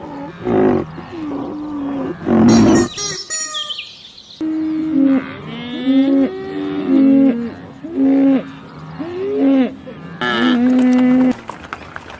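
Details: Cows in a field moo repeatedly in short, nasal bursts that bend up and down in pitch.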